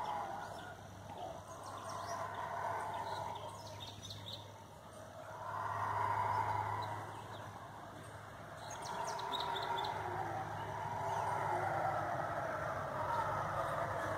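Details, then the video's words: Eerie roars of howler monkeys in forest, a wavering droning chorus building in three swells, loudest midway and again toward the end, over a steady low hum and scattered faint chirps. "O CANTO DAS GUARIBAS"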